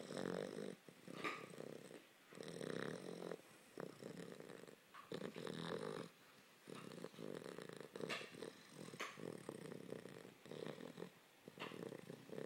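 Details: Harper, a sleeping puppy, snoring loudly: rough, rasping breaths in steady bursts roughly every one to two seconds across the recording, with brief quiet pauses between them.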